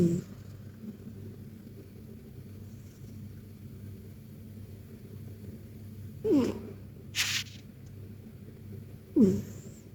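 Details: KTO, a sleeping Persian cat deep in a cozy nap, gives soft snores: snorting breaths with a brief falling tone at the start and again near six and nine seconds, over a steady low indoor hum, with one short hiss between.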